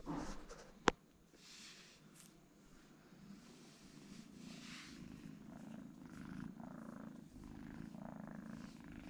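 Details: Twin kittens sleeping together, purring: a sharp click near the start, then a steady low rumbling purr that swells and fades in soft breath-paced waves.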